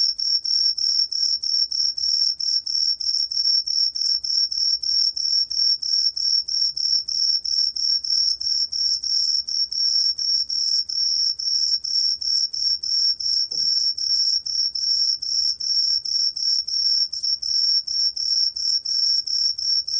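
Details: Steady, high, ringing song of the green pine cricket (청솔귀뚜라미), recorded in 2020 by the National Institute of Biological Resources, pulsing quickly and continuously for twenty seconds over a faint low rumble.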